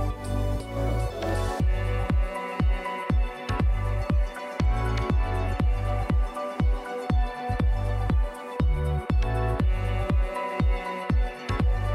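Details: Electronic music plays throughout, with a steady pulsing beat about twice per second and layered synth tones.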